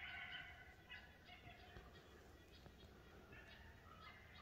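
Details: A coyote gives quick, high yips in short bursts over a low rumble of background noise while trying to call in a whitetail deer.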